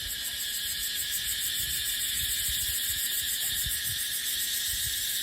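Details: Cicadas in dry dipterocarp forest during the dry season: a dense, steady, high-pitched hiss filling the upper range for the whole stretch, with low gusts of wind rumbling underneath.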